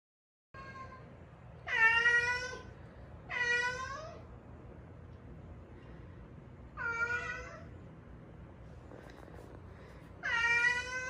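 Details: Stray cat from Haeundae, one of a rescued mother-and-daughter pair who lived seven years on the streets with bones that healed unset after a traffic accident. Indoors, four loud, drawn-out meows that rise then fall, spaced a few seconds apart over quiet room hum.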